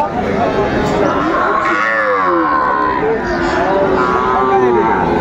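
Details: Cattle at a Kushtia market on Monday, 6 May 2024, where Sahiwal and Friesian bull calves are traded: several drawn-out, wavering low moos rise and fall over a continuous din of crowd chatter.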